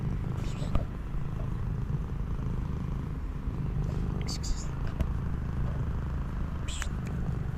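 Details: Purring street cat cuddling during a reunion after three months apart, a dense low vibrating rumble held without pause, interrupted by a few soft taps and rustles.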